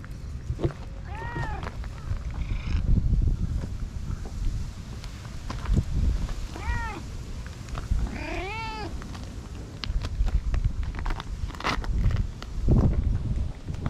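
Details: Feral stray cat being petted, later delivering an angry cat punch, filmed on a GoPro HERO8; three separate meows several seconds apart, the last longer and strained, amid handling rustle and thumps.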